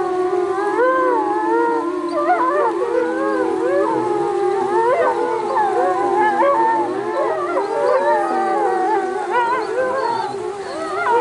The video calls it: Wolves chorus